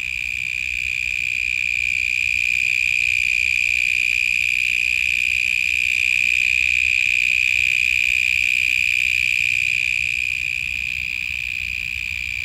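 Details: Extremely loud grasshopper calling in Australia, a continuous piercing whine on a single high pitch with ringing overtones, swelling slightly in the middle and easing toward the end, no pauses throughout.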